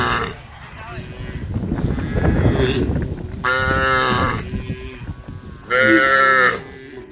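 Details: Cows of mixed brown, white and black colouring roam a dusty country road, mooing to call the herd; loud harmonic moos around 3.5 and 6 seconds follow a stretch of low rumbling noise and hoof shuffling.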